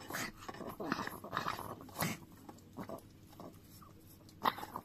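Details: Dio, a Chihuahua, licks a frying pan in a small room. Quick, moist smacking laps cluster in the first two seconds, then thin out into sparse soft taps and one sharp final click.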